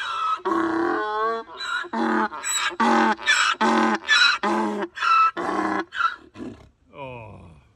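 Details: Donkey on a farm braying a loud greeting one morning, impatient while waiting for breakfast: a long series of harsh see-saw honks, about ten pulses in quick alternation, then a fading wheezy tail.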